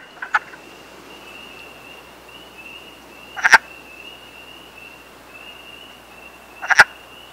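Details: Wood frog in the wild in Canada during the breeding season: three short, rough clucking croaks spaced about three seconds apart, each a quick double or triple burst, over a steady high thin whine running underneath.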